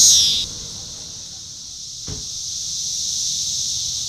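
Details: Cassin's periodical cicada, Magicicada cassini of Brood IV, at Shawnee Mission Park, Kansas, on June 5, 2015, tymbal vibrating under an upswept defective wing: a loud high buzz for half a second, then a steady thin high whine with one soft thump.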